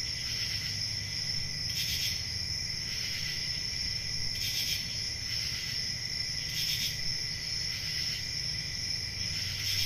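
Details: Crickets chorus on a calm rural summer night. Their thin, continuous high-pitched trill is joined by brighter chirp bursts recurring roughly every two to two and a half seconds, over a quiet low-frequency hum.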